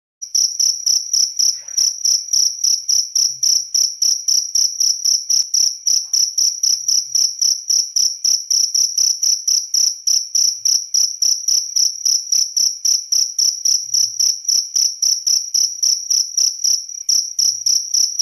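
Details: Cricket chirping steadily, a loud, high, shrill pulse repeated about three to four times per second without pause, with faint low knocks in the background.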